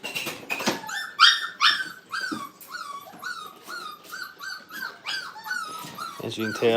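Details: Five-week-old Brittany puppies in a kennel crate whimper and whine over and over, a fast overlapping chorus of high, downward-sliding cries, several pups calling at once in a small indoor room.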